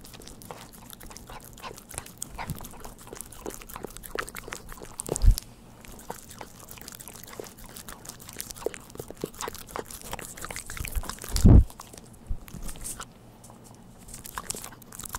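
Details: A household dog enjoying a Churu treat indoors: soft, steady licking clicks and smacking throughout, broken by two heavy thumps near the middle and end, with a low room hum in the background.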